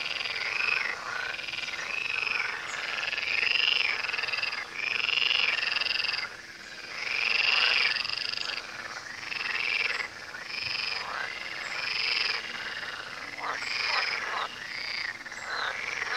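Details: Frogs by the Tywa river croak in a thick chorus, with rasping calls repeating roughly three to four times per second in an uneven rhythm and swelling and fading in loudness in waves.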